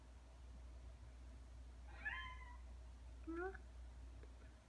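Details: A Ragdoll cat, one of two kept indoors aged two years nine months and two years five months, fond of a pompom ball toy: two short harmonic meows about a second apart, the first falling, the second rising, over a low steady room hum.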